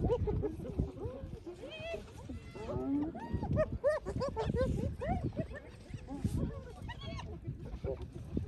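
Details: Hyenas taking over a lions' meal after the lions had eaten their fill, filmed on an iPhone; overlapping rising-and-falling whoops and giggling yelps from several animals come in rapid bursts, with a human voice mixed in.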